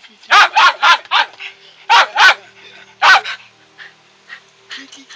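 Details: Pet dog barking nonstop: loud, harsh, broadband barks in quick bursts of three to four, then a pair and a single bark, with quiet gaps and faint low background sounds between.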